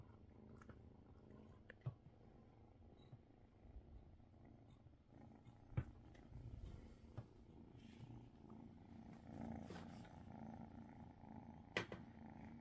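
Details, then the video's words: Domestic cat purring while getting belly rubs, joined by purring kittens, recorded December 30th; a steady low rumbling purr with a soft pulsing texture, broken by occasional sharp clicks and rustles. "purring kittens"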